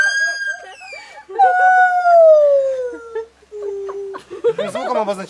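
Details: In Phuket, Thailand, a monkey sings long, clear hooting notes that slide downward, marking its territory, with people talking afterward.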